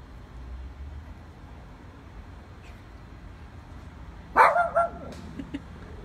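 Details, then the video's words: Dogs barking, a quiet stretch of low background hum followed by a short burst of two or three loud barks near the end. "The Boys Barking"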